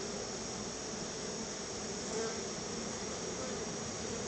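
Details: Crowds of honey bees at the hive entrance come to meet their keeper, who offers them a little store-bought honey as a treat. The buzzing is thick and continuous, a level drone with no pauses.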